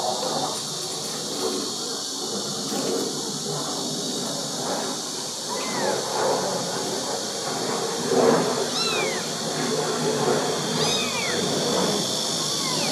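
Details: Kitten with its mother cat at a country house in Dorae village, South Korea; several high, downward-curving meows spaced a few seconds apart over a steady shrill insect chorus and faint rural background.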